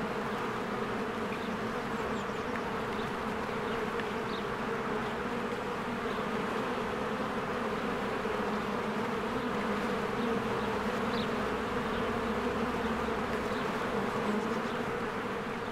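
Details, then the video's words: Bees flying diligently in and out of their hive during spring bloom, a long steady droning buzz; scattered faint bird notes flicker high over the continuous hum. "1 Hour of a Beehive ASMR"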